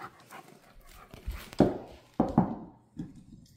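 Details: Central Asian Shepherd puppy, female, playing with a bone indoors: rough breathy huffs and pants in short bursts, a few sharp thuds between them, with a woman's voice coaxing just before.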